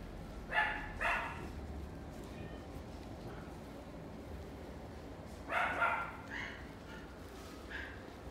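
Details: Toy Poodle in a pet shop: a pair of short high barks near the start, another pair around five and a half seconds, and a couple of softer yips later, over steady shop background hum.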